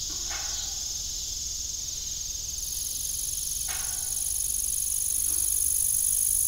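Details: Evening cricket chorus by an abandoned farm windmill: a constant high pulsing chirp, steadily swelling, with a hiss joining midway and occasional dull knocks.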